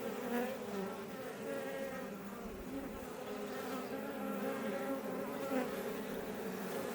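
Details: Iberian honey bees flying around a Langstroth hive in south Tarragona, Catalonia, Spain, close to Els Ports National Park; dense, even buzzing hum with shifting pitches as individual bees come and go.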